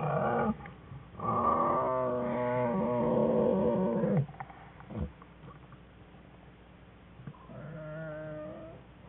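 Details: American black bear cubs whining in a winter den with their mother, January 5, 2013; a long, loud, buzzy harmonic whine lasting several seconds, then a pause and a softer, fainter whimper.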